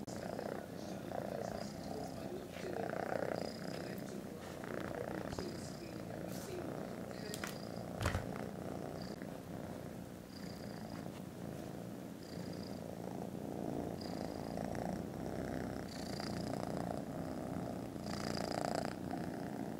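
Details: Very loud purring from contented foster kittens resting after lunch, recorded 18 December: an unbroken low throbbing drone, with short high chirps scattered through, a sharp click near eight seconds and faint voices.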